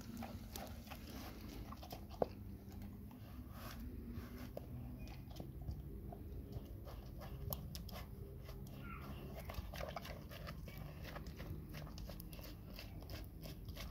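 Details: Labrador Retriever named Nona eating a huge grilled sandwich indoors, with steady wet chewing and crunching bites in irregular bursts over a low background hum.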